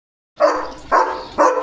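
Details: Pet German Shepherd on early morning barking duty at home: three loud, harsh barks spaced about half a second apart, each a sharp burst followed by a fading tail, with no other sounds.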